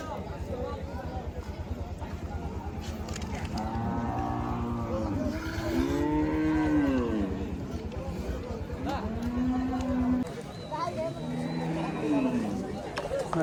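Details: Cattle at the village livestock market on the Dhanpati Khola primary school field, where cows and goats are traded; several arching, low moos, each rising then falling, amid a steady rumbling background and people's voices.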